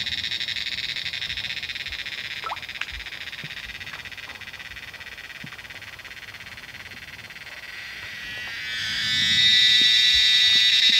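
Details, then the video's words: Many cicadas call from the trees in the Himalayan monsoon rainy season, a steady, high-pitched droning buzz that swells louder near the end. "Cicadas calling in the Himalayan monsoon"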